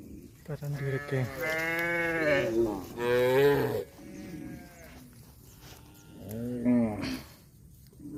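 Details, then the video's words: Cattle lowing: several drawn-out harmonic moos in quick succession, then a quieter gap and one shorter, rising-falling moo near the end. "COW SOUND"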